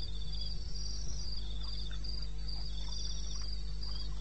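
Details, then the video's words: At 2:30 a.m. on 21 May in eastern Botswana wilderness, crickets give high repeated chirp bursts while faint softer calls and a few low thumps drift through, all over a constant low drone. "1 Hour cricket sound"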